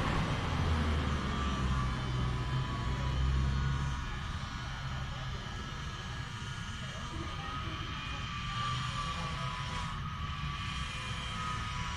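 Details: Loud low engine rumble, like an aircraft or vehicle, fills the scene and fades slightly, with no animal call standing out.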